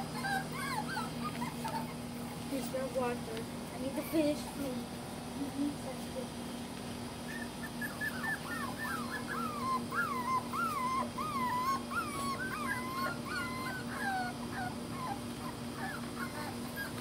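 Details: Pet dogs in Tampa, Florida, July 2020: from about eight seconds, a long run of high, wavering whines rises and falls in quick squeaky bends over a steady low hum, with faint talk early on.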